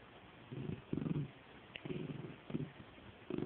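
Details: Indoors, Penny the dog growls during play with a stuffed toy, giving a string of short, rough, low growling bursts, roughly one every half second, broken by brief gaps.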